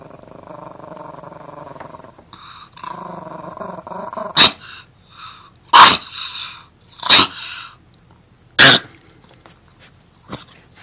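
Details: Guarding his Beneful dog food bag, the pet dog Armani growls in a long, throaty rumble, then fires off four harsh, snapping barks at roughly one-and-a-half-second intervals.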